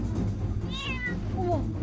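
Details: A kitten trapped for two months in a water-filled drain at an apartment entrance gives a thin, high meow that rises and falls at night, answering the person who has fed it calling it.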